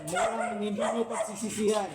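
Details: American Bully, a first-time stud dog in San Jacinto, Pangasinan, makes a continuous wavering whine. The pitch bends up and down through two seconds, and a man's voice overlaps it.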